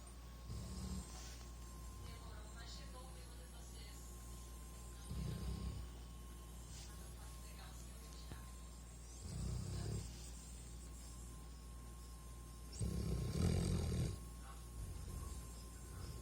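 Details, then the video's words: Max, a sleeping greyhound, snoring: low rasping snores recur roughly every four seconds, the last one loudest, over a steady faint electrical hum. "MAX roncando."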